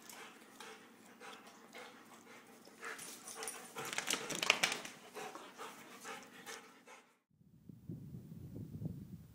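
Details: Binti, a female Rhodesian Ridgeback, in her first days at a foster home: breathy, noisy panting-like sounds spread across a wide range for about seven seconds, then low muffled rumbling noise.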